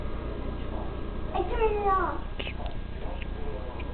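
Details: A household pet cat gives one drawn-out meow in the middle of the recording. It is harmonic-rich and falls slightly in pitch. Low background rumble and faint speech-like murmurs surround it.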